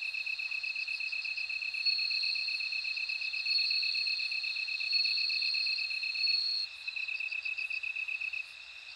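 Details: Chorus of bell crickets and other insects: a bright sustained ringing note holds for several seconds, then breaks into quick pulsed bursts over a continuous high, evenly beaded trill.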